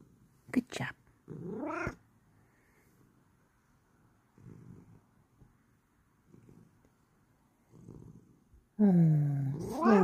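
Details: Bengal cat during its bedtime routine indoors: a quick high chirp-like meow, then a rising trill, a quiet pause with soft rustles, and finally a long, loud, wavering meow that rises and falls.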